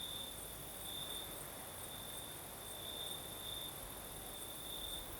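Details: Crickets singing at night in southern Crimea under a night breeze: a steady, unbroken high-pitched trill forms a continuous chorus, with a fainter, higher shimmering band above it and soft rushing breeze noise underneath throughout.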